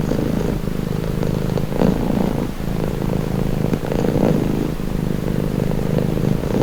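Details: Domestic cat purring steadily: a continuous low, throbbing rumble that swells and eases with each breath, in cycles of roughly two seconds, with faint soft rustling and no other animals.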